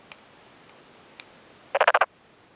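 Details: Male black-spotted pond frog calling by day with both cheek vocal sacs inflated, answering another nearby male, from a flooded, freshly puddled rice paddy in rural Tokuji, Yamaguchi City, Japan, afternoon of 2 May 2011; a brief burst of five rapid rasping pulses after two faint clicks.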